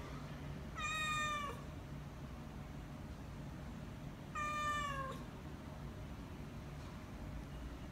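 A British Shorthair cat gives two drawn-out, slightly falling meows about three seconds apart, asking for food.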